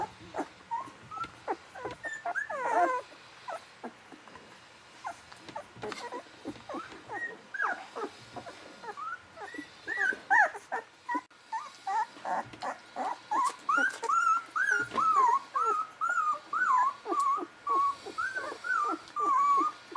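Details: Golden Retriever puppies 11 to 13 days old, offspring of Aiko of Haarby and Lady Dina, give rapid high squeaky whimpers and squeals, many overlapping, rising and falling, dense and repeated more than twice a second.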